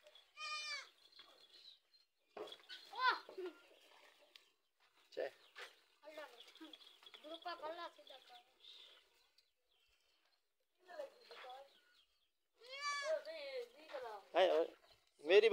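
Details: Goat mother and young recognising each other by smell: short wavering bleats at the start and a cluster of loud bleats near the end, with a person talking through the middle.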